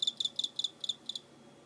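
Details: Cricket recorded on 24 November 2016, giving short pulsed chirps in quick succession, about five bursts in just over a second, high and ringing with stacked overtones, fading out afterward over a faint steady background hum.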